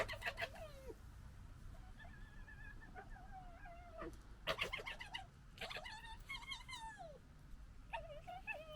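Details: Red foxes of a local family gekkering while fighting and disagreeing: wavering, harmonic whining cries broken by sharp clicks and chattering bursts, several overlapping outbursts with short gaps, over low background rumble.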